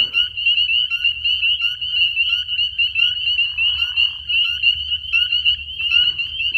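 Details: Loud, ear-piercing frog chorus at night in spring, from a pond and trees: a continuous high shrill trill over the whole stretch, punctuated by brief rising chirps roughly once a second, over a faint low rumble.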